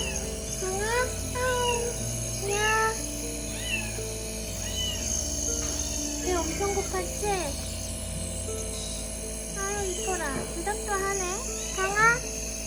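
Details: Rescued stray cat, a skinny kitten found limping with blood on its face, gives repeated rising-falling meows, several in quick series, over steady background music and a low hum.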